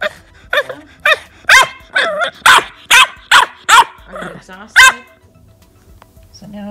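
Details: Teething female English bulldog puppy, at home at night after biting a leg, gives a run of about a dozen short tonal yaps and growly barks, roughly two per second, then quiets as a person talks.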